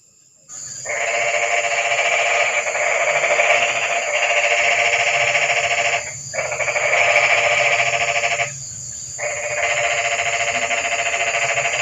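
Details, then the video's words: A loud, close frog calling at night during rain: long buzzy, rapidly pulsed croaking trills lasting several seconds each, with two short breaks between them. "Kodok & Suara kodok hujan meramaikan suasana sepi malam ini"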